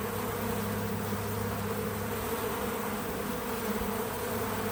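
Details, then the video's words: Several bees at a feeder on a small farm, recorded outdoors: a continuous low hum with layered steady tones, even and unbroken, while a faint hiss sits in the background. "Relaxing Bees at the Feeder 🐝 | Natural Buzzing Sounds"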